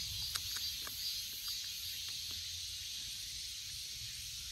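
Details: Cicada drone, an unbroken shrill hiss sitting high above a soft low background hum, with a few faint clicks near the start.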